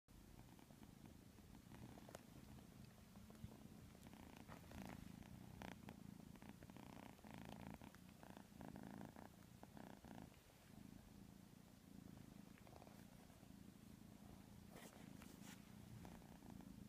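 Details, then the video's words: White kitten asleep and snoring: a steady, soft low rumble that runs without a break through the whole stretch, with faint clicks and light rustles over it, recorded indoors. "Adorable Snoring White kitten"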